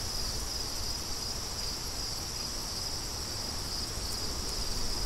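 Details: High crickets trill on and off in quick pulses over a light, steady rumble of wind.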